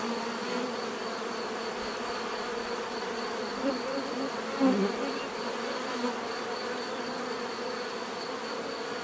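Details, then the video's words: Continuous swarm-like drone of bees, a thick even hum with layered overtones; a few individual bees fly close around the middle, making short louder buzzes that rise and fade. "bees therapy relaxing natural buzzing sound"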